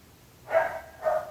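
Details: Two short dog barks in quick succession after a brief quiet moment, rough and mid-pitched, the second slightly weaker than the first.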